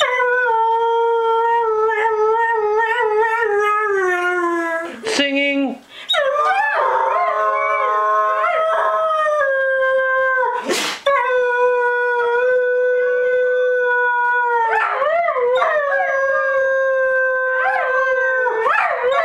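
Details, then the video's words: Two pet whippets "sing" together when their owner urges them on. They give long, sustained harmonic howls that waver and bend, with overlapping voices partway through. There are brief yelps and breaks between the howls, and human speech is faintly present. "Whippets Singing"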